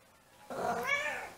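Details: Siamese cat left home alone, howling while missing its owner; a single drawn-out wavering cry rising then falling, rich in harmonics, in a quiet indoor room.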